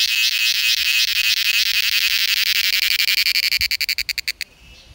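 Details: A cicada's mating call in India: loud, shrill buzzing that breaks into rapid pulses, which slow before stopping.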